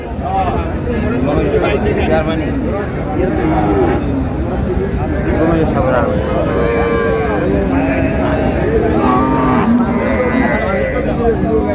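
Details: Cows with calves mooing at Raniganj cattle market in Dinajpur on market day, 2 July 2026; several drawn-out, tonal moos rise above a constant, dense din of crowd chatter and market noise.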